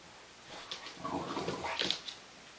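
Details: English Bulldog mother playing with her puppy on a play mat; a brief, soft whimpering sequence of short, thin, rising squeaks and whines over about two seconds, fairly quiet, with light rustling in the background.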